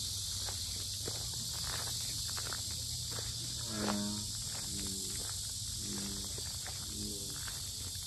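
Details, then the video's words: Loud cicada chorus at Asan's Sinjeongho lotus park in Korea, a constant high-pitched electric hiss without pause; footsteps crunch along the path, and a few short low tonal sounds come and go midway. "매미소리 주의"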